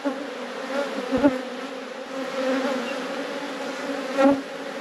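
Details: Inside a robust honey bee colony during a brood inspection, a thick, constant hum of wingbeats continues, with two brief sharp knocks from hive handling.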